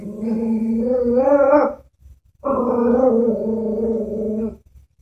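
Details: Chihuahua frightened by a stuffed horse toy makes two sustained throaty growls, each close to two seconds long, wavering slightly in pitch with a short quiet break between.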